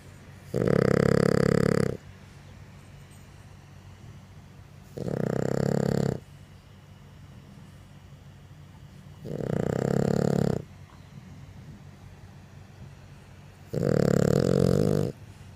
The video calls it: My french bulldog: Spite snoring